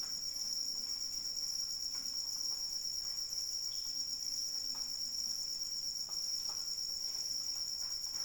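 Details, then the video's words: Rain falls softly beneath a dense, unbroken cricket trill, a bright metallic shimmer holding steady for over eight seconds, with scattered drip sounds. "Suara Hujan dan Jangkrik Pengantar Tidur"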